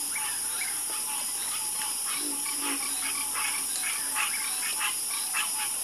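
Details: Many frogs croak together at night in quick irregular bursts of short notes, some louder pulses near the end, all set against a steady high-pitched background drone.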